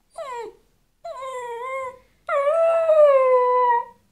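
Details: Dog howls after its best canine companion leaves the house, giving three howls: a short falling cry, a slightly longer level wail, then a long sustained howl that wavers and slowly drops in pitch.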